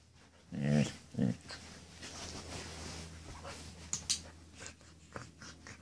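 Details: Two Samoyeds fooling around together before bedtime indoors: two short, deep growling grunts in the first second and a half, then faint scuffling, light clicks and a steady low hum.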